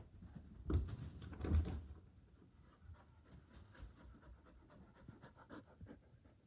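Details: Border Collie panting with excitement, eager to play ball while people relax on a couch indoors; two louder breathy bursts near the start, then soft, irregular panting and faint rustling.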